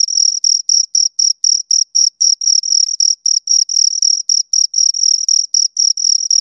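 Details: Pair of crickets producing rapid, high-pitched scraping chirps, roughly four per second, each pulse short and buzzy with a faint higher harmonic; steady and uninterrupted, nothing else audible.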